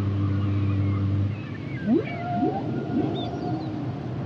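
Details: Humpback whale song: a long low tonal moan held for over a second, then a run of quick upswept whoops rising into drawn-out higher wails, with faint whistled tones overhead and a steady ocean hiss beneath.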